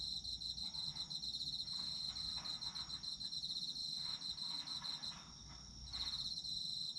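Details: Autumn insects for sleep listening: shrill continuous cricket ringing with quick rhythmic pulses, a short gap near the end, and soft broadband rustling swells underneath.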